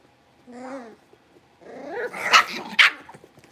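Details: A litter of five blenheim Cavalier King Charles Spaniel puppies, newly moved to a bigger pen, make a short falling whine, a pause, then a rising growly yap that ends in two sharp, bright barks.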